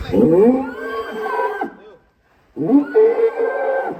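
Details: Agitated cow escaping its pen in Indonesia, giving two long harmonic bellows of about a second and a half each, the pitch rising then holding steady, separated by a short silence.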